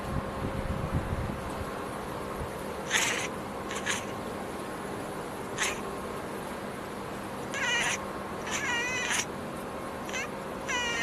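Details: A tuxedo cat that has spotted a bird chirps at it, giving about eight short, bright chirps, some quavering into quick trills, spaced irregularly over ten seconds, over a steady low electrical hum.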